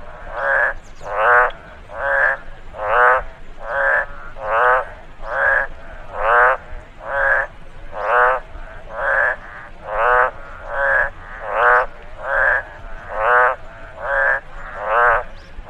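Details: Frog noise from a rice field after rainfall, a steady chorus-like series of coarse pulsed croaks about once per second for sixteen seconds, alternating slightly in strength as if from more than one frog.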